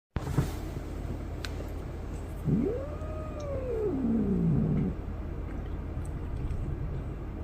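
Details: A cat gives one long, drawn-out meow that rises into a tonal arch, then slides slowly down into a lower moaning tail. It lasts about two and a half seconds over a steady low background hum.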